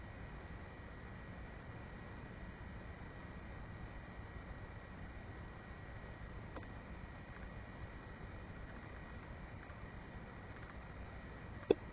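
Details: Quiet room hiss and low rumble with a faint steady hum and one sharp click near the end; no animal sounds.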